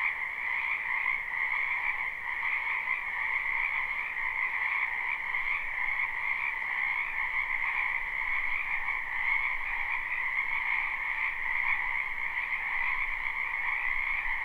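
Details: Lots of frogs in a wetland during spring, captured live without looping: relentless overlapping shrill croaking forms a uniform droning chorus, upper and lower layers steady throughout, faint low rumble underneath.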